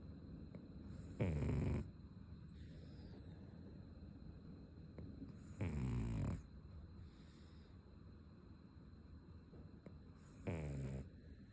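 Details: Sleeping pug Ume, snoring for the first time in a while: three coarse, low, rattling snores, each lasting about half a second and spaced roughly every four to five seconds, over a faint steady hum.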